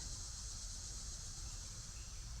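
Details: Cicadas sing a steady, high-pitched chorus over a low background rumble in a zone 6 garden in early July, after a rainy summer week, heard as the sound of summer.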